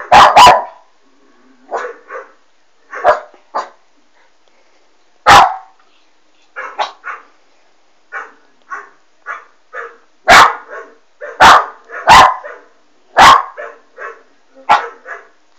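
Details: West Highland White Terrier puppy Alma reacting to a Doberman on a monitor, giving loud sharp barks mixed with quieter grumbling yips, in irregular bursts and a quicker run of barks near the end.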